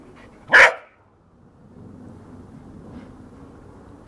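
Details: Working cocker spaniel, also called field spaniel, playing in a garden: one loud, sharp bark near the start and the onset of a second at the very end, with quiet background between.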